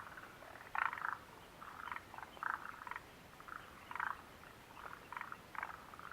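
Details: Frogs calling near the Mitsuishi refuge hut on 29 June 2013: a soft chorus of short, rasping croaks in loose bursts, several overlapping voices, with a louder cluster near the start and quieter pulses following irregularly.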